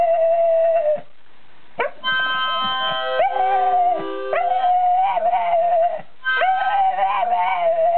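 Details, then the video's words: Male Staffordshire Bull Terrier howling along to amateur harmonica playing; long wavering howls with bright harmonics run through most of the recording, broken by a short pause near one second, while sustained harmonica chords sound alongside. "Boo Boo the Screaming Harmonica Dog"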